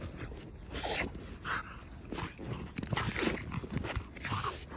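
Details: French Bulldog Margo, a female pet, worked up with excitement after finding a trophy ball on a walk outdoors: rough breathy snorts and grunting bursts come in uneven clusters, with scuffling movement between them.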